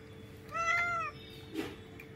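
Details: Hungry cat being fed fish, giving one clear drawn-out meow with a steady pitch and bright harmonics, followed by a short scuffing sound and a constant electrical hum.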